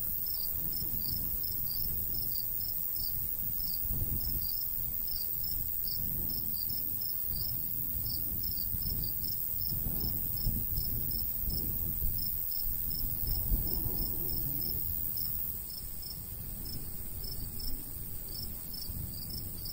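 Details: Summer countryside crickets near a golden wheat field trill in shrill repeated pulses that thin out toward the end, while a light breeze rumbles and surges low beneath them.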